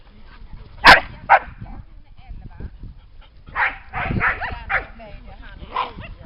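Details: Summer day by the lake at Lida Nature Reserve: dogs give two loud barks close together, then a looser series of rougher barks mixed with human voices.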